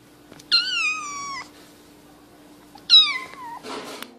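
A domestic cat gives two drawn-out, slightly falling meows, a common call for attention.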